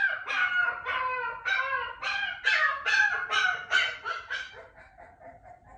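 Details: Caged Shiba Inu puppy, a female only two days in her new home, wailing once her owner is gone. Rapid, tremulous yelping whines pile up, loudest in the middle, then fade into softer, thinner cries.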